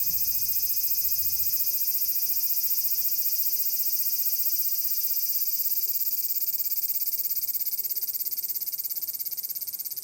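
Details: Large brown cicada singing in summer at Furuta Magarikawa, Nishinoomote, Tanegashima, Japan, on 30 July 2022: a steady, dense, high sizzling drone with a fast pulsing texture that keeps on throughout, softening slightly near the end.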